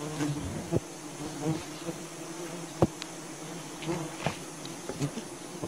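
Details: Soft buzzing of wild bees during honey hunting, a faint low drone with individual bees passing closer, plus occasional sharp clicks.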